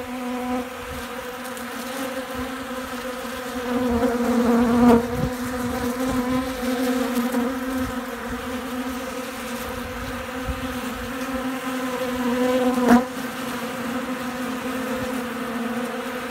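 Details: Honey bees in Central Alabama feeding heavily from a hand, windy weather with storms coming; loud continuous drone with rich stacked overtones, briefly swelling around the fifth and thirteenth seconds, light wind rumble beneath.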